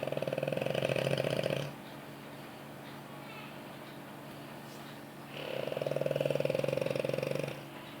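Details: A pampered French Bulldog asleep on its owner's lap snores in long, rattling, nasal drawn-out breaths separated by a quiet pause.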